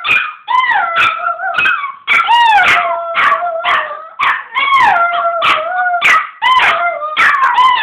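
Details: A Chihuahua and a Pomeranian howl together in high, wavering, overlapping tones broken by sharp yips.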